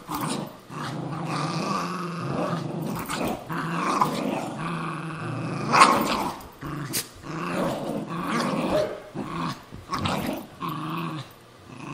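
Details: Two terriers, a Cairn and a Jack Russell, tussling indoors over an old golf glove; rumbling, throaty growls in uneven waves, with a sharper snarl near the middle and brief pauses.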